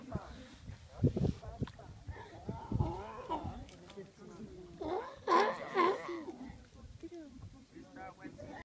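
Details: A Galapagos sea lion family, parents playing with their pup, in the Galapagos Islands, Ecuador, gives hoarse, wavering bleats and low grunting calls in uneven bursts.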